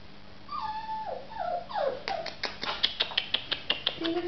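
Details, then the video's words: Samoyed pups indoors: a few drawn-out, falling whines, then a quick run of short, sharp yelps repeated about five times a second, ending in a lower whine. "samoyed pups"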